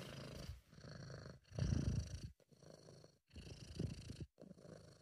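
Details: A relaxed, contented British Shorthair named Sabu purrs: a low, gravelly rumble rising and falling with each breath, with short quiet pauses between strokes and one louder surge near the middle.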